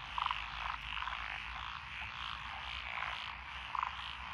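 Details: Frogs calling in lotus paddy fields in Echizen, Fukui Prefecture, Japan, 12 June 2021, a mix of Japanese tree frogs, pond frogs, wrinkled frogs and green tree frogs. A steady rasping chorus, with short louder croaking bursts near the start and end.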